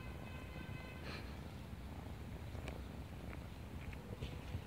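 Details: Brief stretch of low, even purring from a female street kitten at play with a person outdoors in a neighborhood; a faint steady tone sounds at the start, and a few soft rustles and clicks follow.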